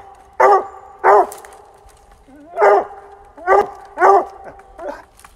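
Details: On a rainy October afternoon, a Bluetick Coonhound that has treed a fox squirrel bays in deep, ringing bursts, repeated about once a second.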